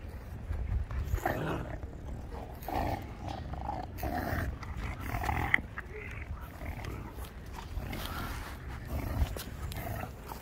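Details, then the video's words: Shar Pei puppies growling and grunting in short rough bursts, with occasional higher whining yelps every second or two over a low rumbling background. "puppies Shar pei"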